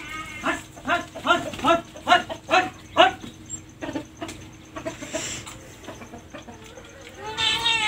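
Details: Domestic cat giving a run of short, bright, harmonic mews, about two per second for three seconds, then quieter scattered calls, with a longer rising cry at the end.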